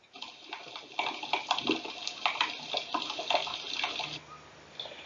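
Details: Snapping shrimp make a dense, sizzling crackle of sharp clicks on a reef, the ambient soundscape with boat noise kept away.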